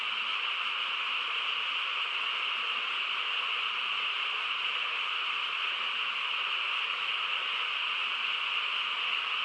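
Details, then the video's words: Frogs chorusing together through a calm rural night, merging into a constant high-pitched hum with no pauses or clear individual calls, the level holding even from start to finish. "고요한 시골 밤에 개구리 합창 소리"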